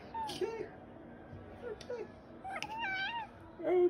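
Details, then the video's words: Dakota, famed online as The OK Cat, answers a woman's requests with a clear rising-then-falling meow resembling "okay", set among the woman's overlapping speech. "Talking Cat Says Ok"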